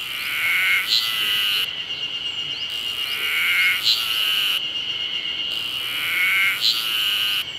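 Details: Summer song of the cicada Terpnosia nigricosta: a continuous high, shrill buzz pulsing in waves roughly every three seconds, with short sharp accents at the end of each phrase and no other clear sounds.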